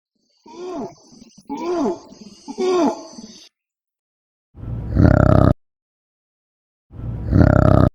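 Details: Orangutan calling: three rising-and-falling harmonic hoots with a steady high whine above them, then after a pause two loud, harsh, broadband roaring bursts, each about a second long, separated by silence.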